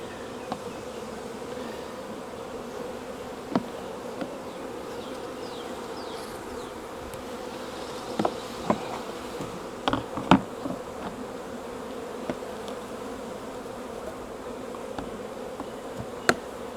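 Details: Wild honey bee swarm being collected from a tree branch during beekeeping: a steady, low droning hum held throughout, with scattered sharp clicks and taps from handling.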